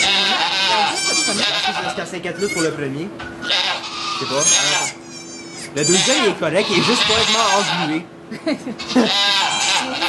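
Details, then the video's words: At a Quebec sugar shack, Chalet du Ruisseau near St-Eustache, Canada, goats bleat while two kids are born, recorded with an iPod Touch 4G. Repeated shaky bleats come in bursts, mixed with people talking in French. "Goat giving birth"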